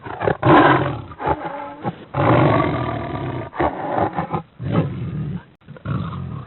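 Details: Cheetah vocalizing with coarse, throaty rumbles in irregular bursts, some long and steady, others short and choppy, with quiet gaps between.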